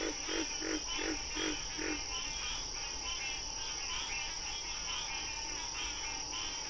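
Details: Wild frog recorded during National Frog Month, giving about five evenly spaced, raspy pulsed croaks in the first two seconds, then fainter rhythmic calling continuing under a steady high-pitched hum.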